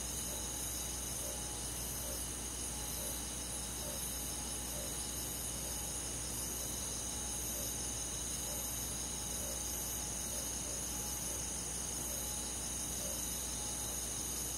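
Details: Countryside forest at night in summer, crickets and other insects calling together: continuous high, ringing trills in several parallel bands, gently throbbing, with a steady low background hum.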